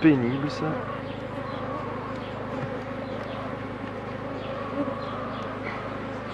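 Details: Continuous droning of honey bees as a beekeeper works an open hive, a thick even hum with low harmonic bands, with a short loud knock at the start and faint talk in the background.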